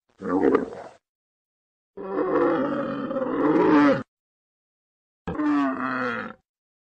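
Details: Camel giving three gurgling, roaring groans: a short burst, a longer two-second rumbling bellow that swells toward its end, then a final gargled roar, separated by silence.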